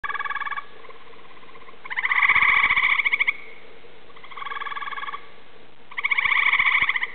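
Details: At dusk, Eastern gray treefrogs call from trees around a small woodland pond, giving loud, musical trills about a second long, one frog answering another.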